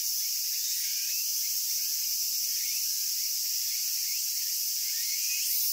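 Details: Cicadas singing in Japan, heard as an unbroken shrill electric hiss, very high and even, swelling slightly near the end; faint scratchy flickers run beneath the steady drone.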